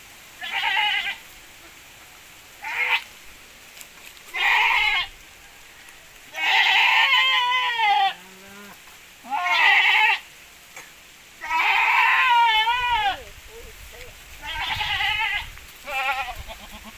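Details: Goats from a Javanese and Boer cross breeding, said to give bigger kids; a long series of loud quavering bleats about every one to two seconds, some drawn out and wobbling in pitch, a low grunt midway.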